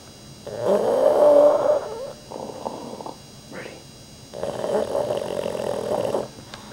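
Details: Rudy, a dog snoring while asleep, gives a long, loud, raspy snore, then softer fluttering breaths, followed by another drawn-out grating snore indoors.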